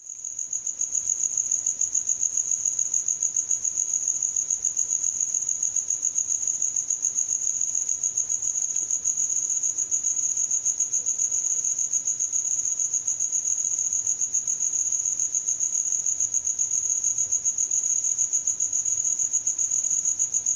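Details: Cricket giving a continuous, very high, shrill trill made of rapid pulses, steady and unbroken throughout, with no other clear sounds.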